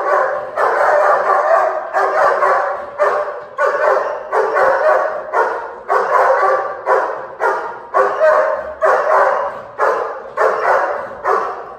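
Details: Dog barking during protection training, with steady rapid barks about every half second to second through the whole stretch, loud and harsh, with no other sounds clear.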